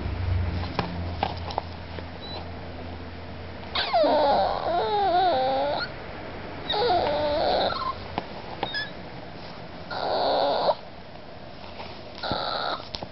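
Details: An 8-week-old Miniature Pinscher puppy whines in high, wavering bursts, seeking attention while trying hard to climb onto a couch to be with its owner.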